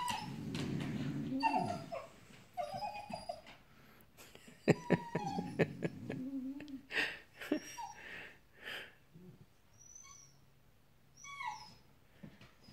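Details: Dogs whining after a squirrel in the morning heat, a puppy making funny noises: high, thin tonal whimpers and yips in broken bursts, with low grumbling, human voices talking and clicking noises between the cries.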